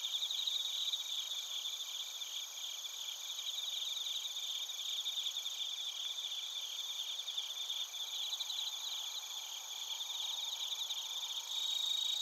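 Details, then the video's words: Suzumushi bell crickets with other crickets in Narita, Chiba, Japan, TASCAM Portacapture X8 recording: an unbroken shimmering trill, fast repeated chirp pulses about three per second, steady in volume throughout. "スズムシとコオロギの鳴き声 - Chirping of crickets"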